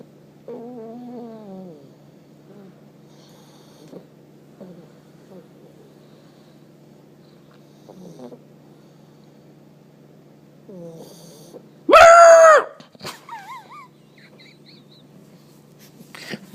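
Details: One-year-old male Pug snoring loudly while asleep: soft rhythmic snore rattles early, then quieter breathing, a sudden loud squeaky burst near the twelfth second, and a few short whiny squeaks after.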